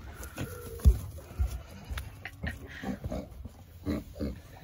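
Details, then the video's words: Berkshire pigs, piglets being hand fed, making low, short grunts and snuffling bursts scattered through the recording, with a brief steady tone near the start, background music and a person calling to them. "Berkshire pigs"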